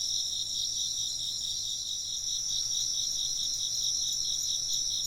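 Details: Shrill, ringing chirps from many insects blend into one even wall of sound, high and rapidly pulsed, steady in loudness throughout, with nothing else clearly audible.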